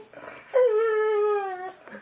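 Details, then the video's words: Boxer dog named JJ "talking" indoors with its owner: one sustained, mellow howl-like whine that starts slightly higher, then holds and slowly sinks for about a second, with faint human voices before and after. "Boxer Dog JJ Talking"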